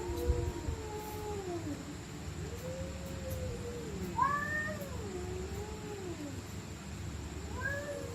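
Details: Stray cats fighting at night, a series of long undulating yowls rising and falling, one sharper higher wail midway, the cries overlapping as two voices trade growling screams against a steady hum.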